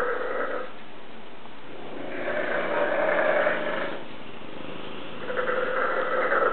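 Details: Dogue de Bordeaux mother and pup snoring together: slow, rhythmic rasping breaths in long swells of about two to three seconds each, with a hoarse, droning quality and quieter pauses between the louder breaths.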